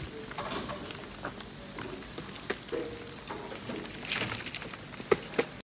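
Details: Field crickets kept at a Vietnamese cricket farm in Nam Dinh and Hanoi that buys from provincial farmers; continuous high-pitched ringing trill without pause, overlaid by faint rustles and tapping.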